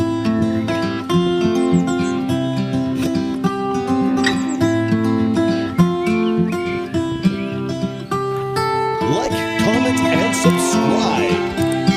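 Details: Strummed acoustic guitar music with a voice over it, busier plucked notes near the end.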